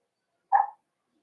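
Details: A single brief bark in a quiet room, from Cavalier King Charles Spaniels: puppies meeting bigger household dogs for socialization on 13 December 2022, the day they also start on puppy food.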